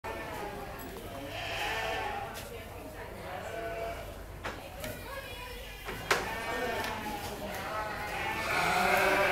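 Young sheep give quavering, nasal bleats, rising and falling like a crying infant, several overlapping through the clip. People's voices mix in, remarking on how human the lambs sound.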